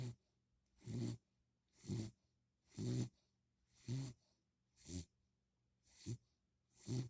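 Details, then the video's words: A puppy, worn out after a long walk from the park, snores steadily at home: seven deep, rumbling breaths with a hissy edge, roughly one each second, separated by brief quiet pauses. "Snoring Puppy"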